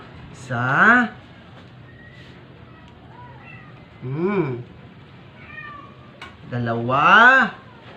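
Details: Sick, dying stray cat struggling while being force-fed to survive, in a small indoor room: three harmonic meows, each rising then falling and lasting under a second, separated by quiet gaps with faint background murmur.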